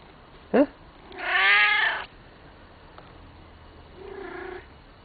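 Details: Male house cat asking for dinner: a brief sharp chirp, then a long loud wailing meow, and a softer, lower meow after a pause, with quiet room noise between.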